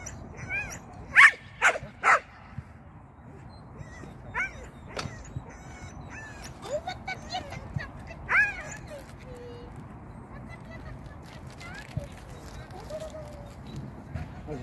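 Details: Sian, a Shetland sheepdog at agility practice, first time on the seesaw and through the tunnel: a close pair of sharp barks near the start, then scattered softer yips and whines among background voices.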